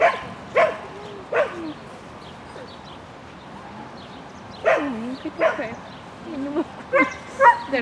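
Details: A Shetland Sheepdog called Lesya barks while running an agility course on 22 May 2016: bursts of high, sharp yips in twos and threes with quiet gaps, and faint warbling voices in between.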